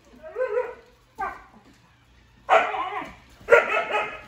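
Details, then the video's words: Siberian husky pets Juno and Echo face the toy robot Dash; a wavering whine-like yodel and a second short whimper give way to two loud, broad, rough barks about a second apart. "Dogs vs Dash the Robot"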